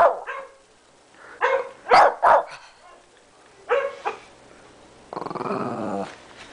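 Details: Shih Tzu barking at a computer: scattered sharp barks in small clusters, followed near the end by a longer rough, growly sound.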